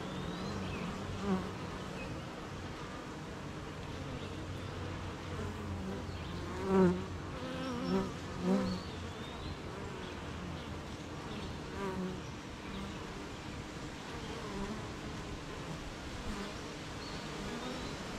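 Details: Honey bees around their hive in the morning rain make a steady drone, broken by several louder buzzing fly-bys of single bees close by and distant bird calls.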